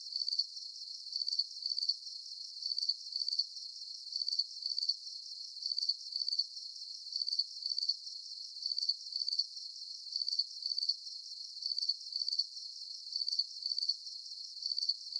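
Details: Crickets at night under the full moon, a long run of shrill pulsed chirps, grouped in twos and threes and repeating with steady regularity, nothing else audible.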